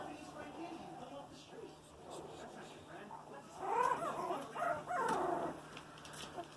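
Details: Several 18-day-old Boxer puppies (Canis lupus familiaris) moving around give high, wavering whimpers and squeals in short bursts.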